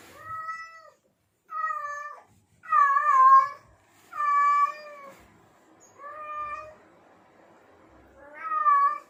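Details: Male house cat in heat sending out a run of six loud, sustained, slightly wavering meows roughly every one and a half seconds to attract females, clean with little background.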